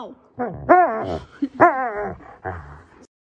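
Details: Siberian Husky being dramatic: drawn-out, wavering woo-woo vocalizations with rich harmonics, rising then bending down, in several bursts separated by short pauses.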